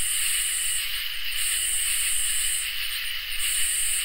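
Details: Crickets and katydids in a summer night chorus: a steady high shrill hum with a lower continuous trill beneath, while higher pulsed buzzy bursts come and go every second or so over faint low rumble.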